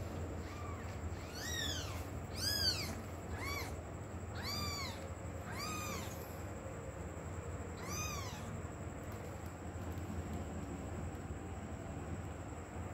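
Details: A kitten searching for its mother cat calls with a run of high arched meows, about six loud cries in the first eight seconds, each rising then falling, over a steady low rumble of background noise, then quieter.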